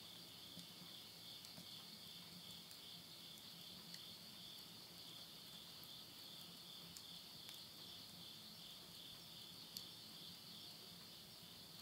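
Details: Late-summer insects singing at midnight, Yurihama, Tottori, Japan, September 2020: a continuous thin high buzzing trill running throughout, steady in pitch, with only occasional soft ticks of burning wood beneath.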